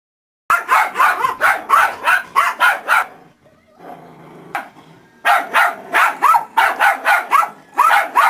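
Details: A dog barking in rapid, evenly spaced yaps, about four a second, in two bursts separated by a short quiet gap with faint background murmur.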